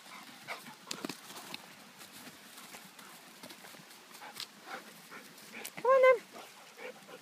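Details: A Rottweiler, excited and having a blast, gives one brief, clear, ringing bark that rises and falls in pitch, after soft scattered taps and shuffles.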